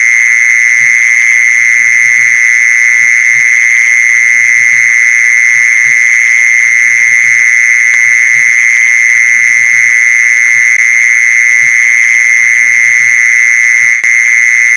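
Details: Mole cricket call, played to lure mole crickets, heard as one unbroken, steady, high buzzing trill held at an even pitch with a thin higher overtone, lasting the whole stretch, while faint low taps and knocks sound underneath.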